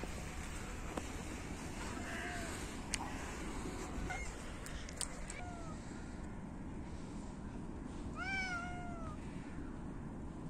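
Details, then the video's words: Cats hungry in the winter cold compete for food and meow loudly: a few short, faint meows early on, then a stronger pair of arched, falling meows near the end over low rumbling background noise. "Cats meow loudly and compete for food"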